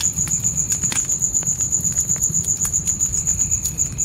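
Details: Crickets at night in the forest, their thin high trill pulsing evenly about four times per second, layered over the crackle and pop of a campfire and a soft low rumble.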